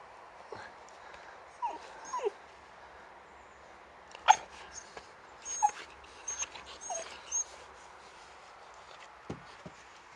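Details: Sammie, a male brindle Boxer puppy born in 2019 and living near Landskrona in southern Sweden, at play: faint, brief, high whimpers and yips scattered over ten seconds, mixed with soft thuds and clicks.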